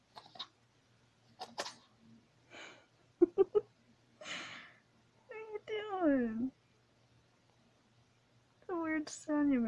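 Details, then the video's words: Cat making strange sounds: after short clicks and a brief human voice come two drawn-out, wavering meows that slide downward in pitch, the second ending the recording. "Cat's make strange sounds"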